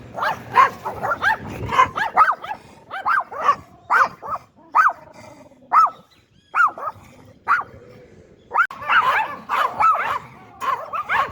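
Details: Yorkshire Terrier, a small breed from Yorkshire, England, that barks a lot to alert its owner. Rapid high-pitched yappy barks in quick bursts, clustered then spaced about one per second, with short pauses between runs.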